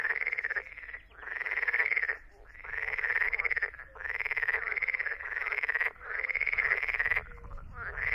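Edible frog giving loud, rattling croaks in bursts of about a second, repeated in quick succession.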